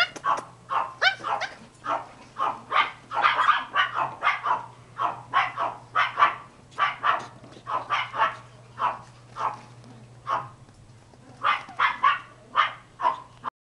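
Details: Pomeranian puppies, German dwarf spitz of cream sable colouring, barking nonstop: a rapid run of roughly thirty-five high, thin yaps over fourteen seconds, with one brief pause near the end.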